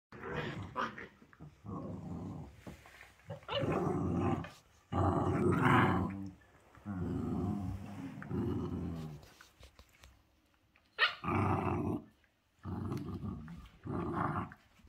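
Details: Dog in a humorous 'growl yoga' routine, giving repeated deep rumbling growls in bursts of one to two seconds, some with a rougher, noisier edge, separated by short quiet gaps.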